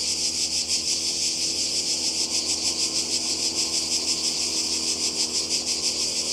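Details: Cicadas calling in summer by the sea in Croatia: a dense, continuous high buzzing chorus with rapid pulsing swells, steady throughout, with no other clear sounds.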